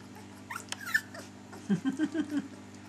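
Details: Three-week-old puppies give a few faint high squeaks, then a quick run of five low grunting sounds, against a steady indoor hum.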